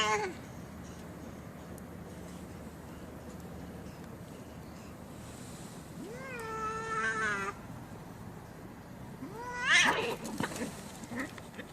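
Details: Cats in a real fight; after a quiet stretch, a long, moaning, tonal yowl that holds and slowly sags for over a second, then later an abrupt, raspy scream burst with noisy background.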